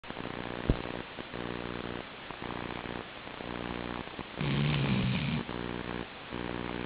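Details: Chi-chan, a sleeping Labrador Retriever, snoring: low, buzzy harmonic rasps pulse in quick repeated bursts, with a louder, deeper drawn-out snore near the fifth second before the softer rhythm resumes.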